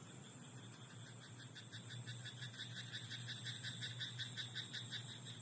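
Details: Rice-paddy frog at night calling in quick repeated rasping pulses, close to three a second throughout, with an unbroken high-pitched hiss-like tone and low hum behind.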